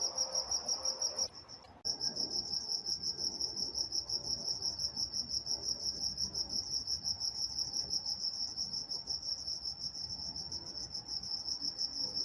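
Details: Night-time crickets in Walnut, California chirp in a fast, even, high-pitched pulse that drops out briefly near the start and then resumes at full strength, over a quiet low background.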